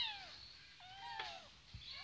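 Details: Kittens playing on a parked Kawasaki motorcycle give a series of high, falling meows, several overlapping thin wails sliding downward, with a faint knock and a steady insect hum behind.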